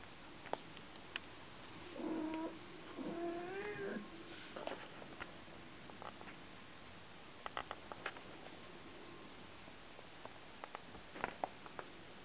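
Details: Little red lynx point Ragdoll kitten too tired to stay awake, with his blue tortie sister trying to rouse him: two soft, quavering meows early on over a steady hiss, followed by scattered faint clicks and taps.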